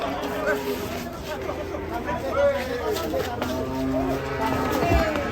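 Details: Agitated, raging cattle bellowing: a low, drawn-out moo with a steady harmonic tone swelling in the second half, over a background of people talking and shouting.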